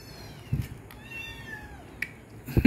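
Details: Several domestic cats eating dinner indoors; one gives a clear, tonal meow that slides downward over less than a second, framed by short knocks and dish clatter.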